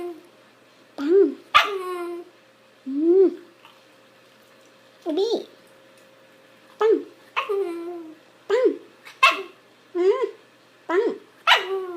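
A Shiba Inu makes short, whiny yodeling sounds that rise and fall, repeated in irregular bursts.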